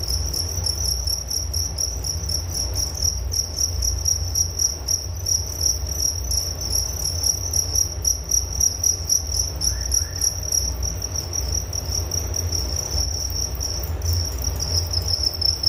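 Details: Nature sound of crickets, their shrill rhythmic chirps forming an unbroken high band of rapid pulses, with a low steady rumble underneath throughout.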